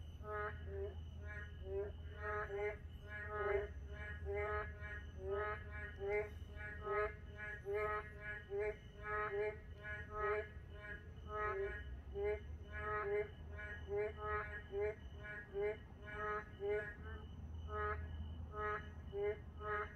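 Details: Narrow-mouthed toads in a park at night in moonlight, many callers overlapping in a steady pulsing chorus of short, bleating, harmonic croaks, roughly seventy a minute, backed by a constant low hum and a thin high tone.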